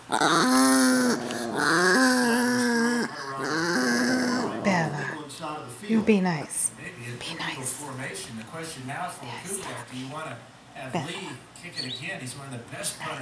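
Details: Chihuahuas described as possessed make three sustained, moaning growl-whines in the first few seconds, each a few seconds long with a wavering pitch, followed by steady human speech and background room noise.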